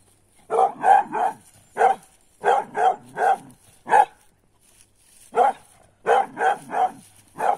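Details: A 10-month-old female griffon hound, trained to follow roe deer and wild boar blood trails, barks in quick bursts of two to four sharp, mid-pitched yaps while retrieving a wild sow at the end of a blood trail.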